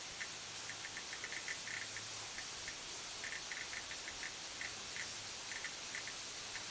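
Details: Cicada droning as a continuous, faint, high-pitched sizzle, broken by clusters of brief, ticking chirps at a middle pitch and an intermittent low hum.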